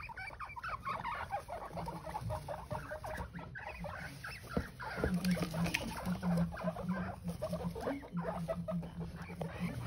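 Guinea pigs giving a low, buzzing rumble in quick pulses, over rustling and clicking bedding.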